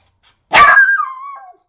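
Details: Eight-month-old male miniature schnauzer, excited by a certain ball, gives one sharp, loud bark that trails into a high whine falling in pitch. A person is talking to the dog just before and after.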